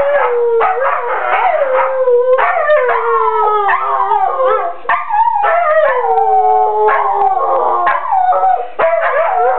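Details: Several dogs howling in a living room during a play fight: sustained wavering howls that slide downward and rise again, voices overlapping, broken by rough growling and barking bursts throughout.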